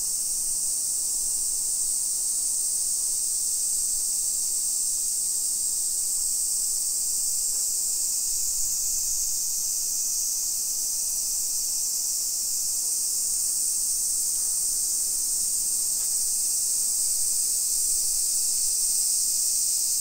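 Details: Summer cicadas at 1 PM on 28 July 2021 in a modern hillside residential neighbourhood of Nisshin, near Nagoya, Aichi Prefecture, Japan: a dense, steady high-pitched hiss-like drone with no breaks, filling the whole stretch at even loudness.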